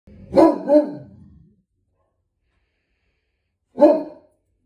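A Great Dane gives two deep, booming barks in quick succession, then one more after a pause.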